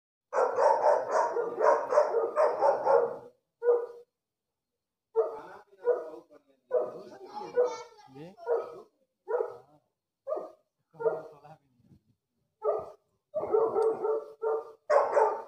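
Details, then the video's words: A dog barks in a quick run of harmonic, mid-pitched barks over the first three seconds, then gives spaced single and double barks, closing with another fast cluster; a few softer, voice-like sounds occur in the middle. "shainbrand barking call"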